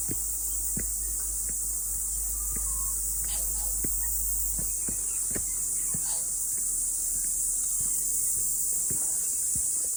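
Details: After rain, cicadas sing along a mountain trail on a morning hike, a constant high sizzling chorus that never breaks, with frequent sharp clicks and thuds from walking scattered across the recording.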